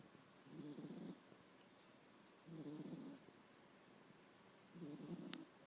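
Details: Sleeping pet cat, nine years old, snoring in slow, low, breathy rasps, three soft snores about two seconds apart, with a brief sharp click near the end.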